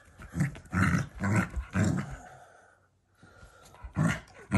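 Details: Shiba Inu in a family home, growling affectionately at its owners rather than in anger: bursts of low, rough growling come in quick uneven runs, with a short quiet gap near the three-second mark and brief laughter nearby.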